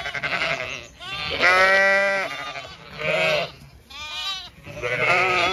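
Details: Zwartbles sheep of a grazing flock in County Kilkenny, Ireland, late afternoon; long tremulous bleats from several ewes alternate, one drawn out for about a second, separated by short quiet pauses.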